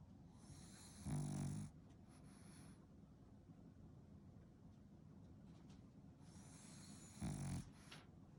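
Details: Female French Bulldog snoring while asleep; two loud rasping snorts about six seconds apart over a low rumbling breath, with a high hiss around each snore.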